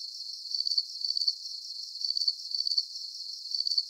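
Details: Crickets sounding in a relaxing nature soundscape: bright, high trilled chirps in short grouped bursts, slightly uneven in timing, over a constant faint hiss, with nothing else audible.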